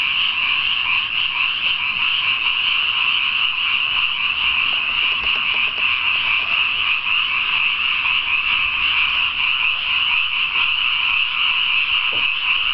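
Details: Night chorus of numerous frogs in a freshly watered rice paddy: continuous high-pitched trilling croaks merging into a constant buzzing wall of sound, steady in loudness throughout.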